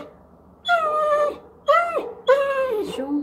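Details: A Weimaraner gives three drawn-out, falling whines, wanting to go out, on October 27, 2022.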